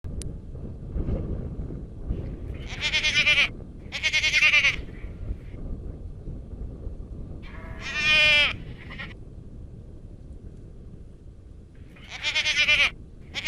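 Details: Garut goats on a farm bleating: four loud, quavering, harmonic bleats of about half a second to a second each, spaced irregularly over the recording, with low background rumble between them.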